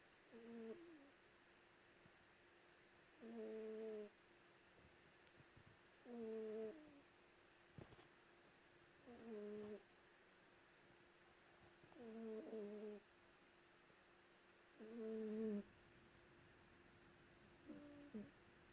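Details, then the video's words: Lulu the cat sleeping beneath a white blanket at home in Perth, Western Australia, snores steadily: seven nasal, tonal, humming breaths, each under a second long, repeating about every three seconds with near silence between. "Lulu snoring"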